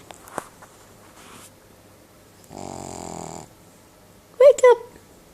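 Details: One drawn-out raspy snore of about a second from Trapper, a sleeping Cavalier King Charles Spaniel, between faint taps, followed by a brief human voice calling to wake him.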